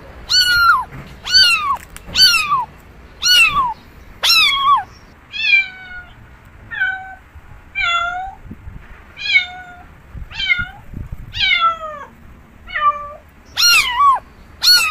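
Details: Domestic cat mewing over and over, about one call a second, each short and falling in pitch, some sharper and higher than others, against a quiet room background.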